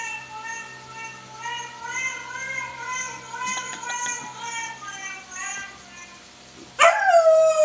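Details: Young Siberian Husky howling at a phone: long, wobbling, musical howls held for several seconds, gently rising and falling in pitch, ending with a sudden loud, sharp upward cry near the end.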